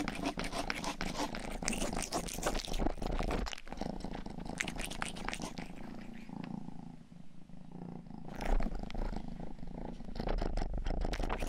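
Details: Rangi, the household's youngest pet cat, purrs while licking ears during an indoor grooming recording: a steady low rumble under dense wet clicking licks, with a brief quieter pause midway before the licking resumes.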